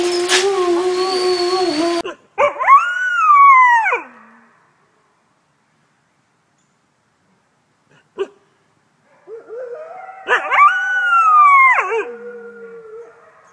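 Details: Wolf howling in short, broken phrases that jump upward then slide down, separated by silence, with an earlier steady, wavering howl over background hiss.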